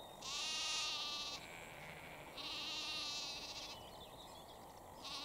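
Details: Sheep calling to its baby lamb in Cambridgeshire, UK, on an April 2021 evening: two long, quavering bleats in close succession, then the start of a third, with light birdsong behind.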